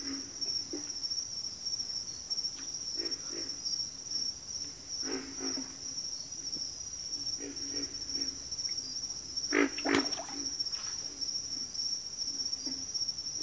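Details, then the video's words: Backwater frog chorus: low, throaty grunts repeat irregularly from several callers, sometimes in quick clusters, over a steady high, shrill insect drone that runs the whole time. "FROGS - Pig Frogs, Water Frogs, Backwater Chorus, & Frog Chorus"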